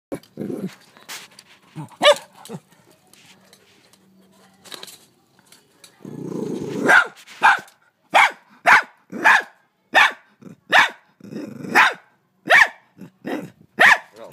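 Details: Frightened pet dog in Australia barking at a huge mantis while trying to bite it; sharp, harmonic barks come in an irregular burst, then a steady run of about a dozen barks roughly every half second, with some low growly noise between.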